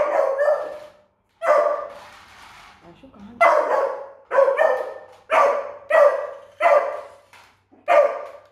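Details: Beagle puppy Doodle, frightened during a first encounter with a remote control car indoors, gives loud repeated barks roughly every second, harmonic and slightly hoarse, with brief human speech in the gaps.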